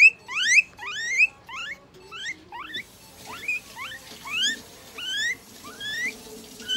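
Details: A guinea pig undergoing veterinary treatment, including eye drops, injection, light therapy, moisturizing and brushing, gives loud, rising squealing whistles, repeated roughly every half second.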